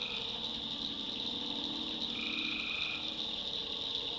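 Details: Tree frogs calling at night in a North Carolina backwoods swamp: a dense, steady high-pitched chorus, with one lower drawn-out note held for about a second in the middle.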